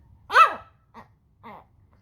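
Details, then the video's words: Talking Pomeranian dog gives one loud, whiny yowl that arches up and then falls in pitch, followed by two softer, short grunting sounds spaced about half a second apart. "talking pomeranian dog"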